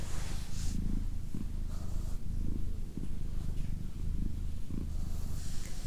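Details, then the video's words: Clean, close purring by Doroti, a female pet cat: a low rumbling drone that swells in pulses about every second as she breathes in and out, nearly free of other sounds. "ASMR Cat Purring"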